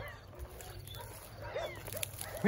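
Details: Rescued abandoned baby kittens, found crying in wet grass next to a shelter in the rain, give a few faint, thin mews, then louder rising arched meows close at hand near the end, with rain hiss throughout.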